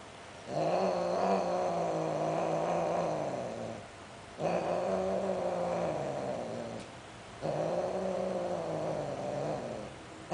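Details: Sterilized Greek short hair and Siamese cats caught mating: three sustained low moaning yowls of about three seconds each, steady harmonics, separated by short silences.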